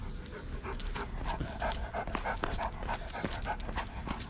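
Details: Tibetan Mastiff called Big Bear (小黑), a dog that walks a couple of steps and then stops to rest, panting heavily: rough, breathy huffs repeating about three times a second, steady throughout, with no voices or other clear sounds.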